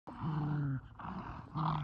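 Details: Kumo the Keeshond and Sully the Boston Terrier play tug with a blue ball, spinning in circles; a low, steady, droning growl comes in three drawn-out bursts, the first the longest, with brief pauses between.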